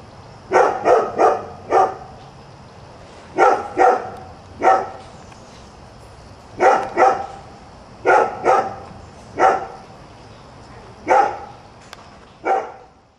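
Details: Nuisance dog at a new house at 7 a.m., barking steadily in bursts of two or three sharp barks, roughly a dozen barks in total, clear and close with a faint high-pitched hum behind.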